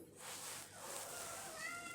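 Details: A domestic cat in a home with kittens gives a short, tonal meow over a hissy, noisy background.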